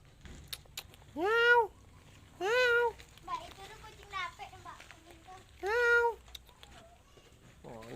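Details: Pet kitten indoors in Indonesia, meowing three times with loud, rising-then-falling, tonal calls, each about half a second long. Fainter mews fall between them, and a person talks nearby.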